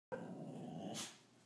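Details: A female Boxer puppy lets out a drawn-out, rough-edged howl, complaining when her owner doesn't pay attention to her.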